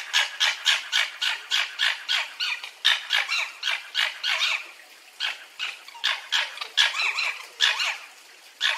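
A fox gives rapid, harsh, rasping yaps repeated several times a second.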